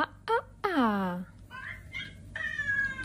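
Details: Pet cat meowing: a short high mew, then a long, loud, downward-sliding meow, followed by softer drawn-out meows over a light room hum.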